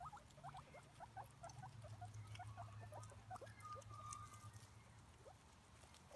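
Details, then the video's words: Pet guinea pig with quiet, fast rising squeaks in an irregular stream and a brief steady whistled note in the middle, over a low droning hum. "Vidio Hewan Marmuts lucu dan suaranya"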